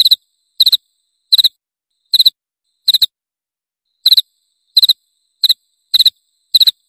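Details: Cricket chirping, a recording offered as a rat repellent: high, clean chirps of three or four rapid pulses each, repeated about every two-thirds of a second, with one longer pause midway, against a silent background.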